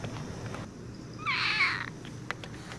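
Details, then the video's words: Zelda, a pet cat, making a cute little noise: one short, high, bright chirping trill of about half a second, with a faint hum and a few soft knocks in a quiet setting around it. "zelda making cute noises"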